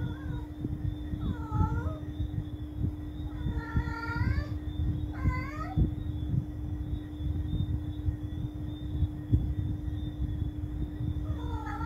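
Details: Cat calling at night: four drawn-out, wavering meows, rising then falling, at about 1.5, 4, 5.5 and 11.5 seconds, over a steady low rumble and a constant electrical hum.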